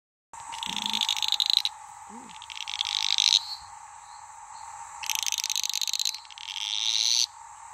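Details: Sedge frogs (Litoria fallax) fighting at Maleny, Queensland: harsh, high, pulsed rattling bursts, each about a second long, coming in two pairs, over a steady droning background chorus.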